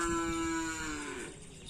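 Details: Madura cattle at karapan sapi bull race training on the Asemanis field in Pamekasan; a single drawn-out, harmonic moo that holds a steady pitch and then sags lower at the end, with low crowd murmur behind.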